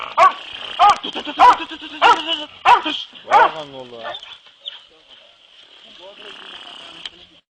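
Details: Hunting dogs being trained for boar hunting bark in a fairly regular burst of six loud, harmonic barks about every half second, then fade to softer yelps, with a constant high-pitched whine underneath.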